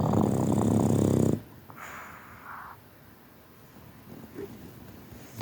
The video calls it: Boston Terrier sleaping (snoring)